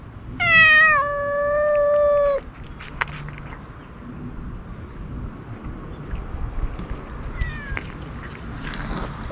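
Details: A single stray ear-tipped cat gives one long, loud, sustained meow that slides slightly downward at a feeding site. Near silence follows, broken by a faint, brief second call.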